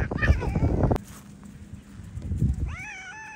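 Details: Stray cats in a heated exchange with feline companions: a loud, harmonic meow fills the first second over low rumbling, then after a quiet gap a second, rising, drawn-out meow sounds near the end.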